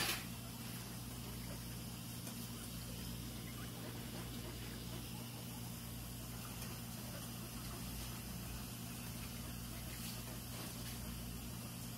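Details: A steady low hum under broad hiss runs throughout, with no animal calls.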